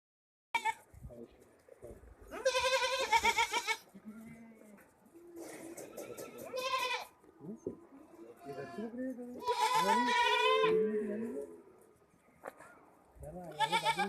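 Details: At a goat farm in Nagpur, India, goats bleat in loud, wavering, nasal bursts, with human voices murmuring between calls.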